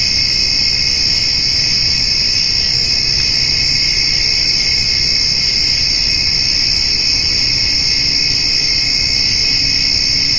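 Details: Summer-evening chorus of crickets mixed with grasshoppers near a feeding white-tailed doe and fawn; continuous high-pitched ringing layers hold steady throughout, forming a constant buzzy wall of sound over a soft low background hum.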